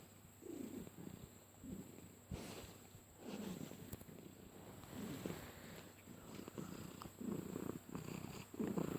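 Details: Pet cat purring loudly as it is stroked, a weird engine-like purr; rhythmic low rasping pulses about one per second, each breath in and out audible, over a constant faint high hum.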